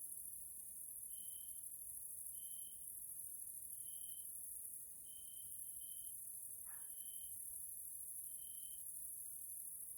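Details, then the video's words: Grasshoppers calling at evening in a Hungarian nature area in Central Europe: an unbroken shrill high buzz under regular short tonal pips about every 1.3 seconds, plus one brief rising sweep midway. "grasshoppers sounds in nature area Hungary Central Europe"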